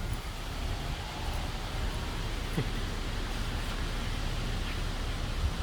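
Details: Steady low rumble of wind and distant traffic outdoors, with no animal voice heard.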